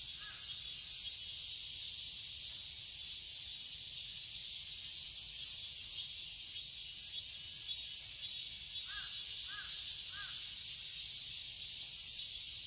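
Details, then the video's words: Summer garden in Seoul, Korea, filled with a continuous shrill cicada drone, dense and high-pitched, with a brief series of three short lower calls from another animal near the ninth to tenth second. "Cicadas chirping sounds"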